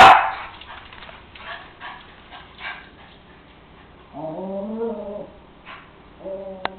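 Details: Cairn Terrier wanting his bone from the counter: a clipped bark at the start, quiet shuffling, then a drawn-out, wavering whine lasting about a second, followed by a shorter whine and a small click.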